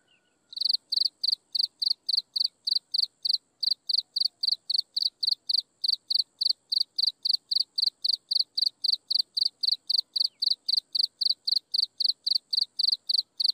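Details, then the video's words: At sunset, insects give a steady run of high, buzzy chirps, each made of quick pulses. About four come every second without a break for over twelve seconds against a quiet background. "Listen to insects chirping in the sunset"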